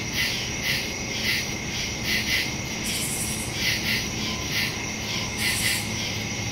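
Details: Crickets calling in the woods after dark, recorded September 2, 2023, on a smartphone with a stereo microphone; sharp, high, rasping chirps come in short bursts about every half second against a steady insect hum.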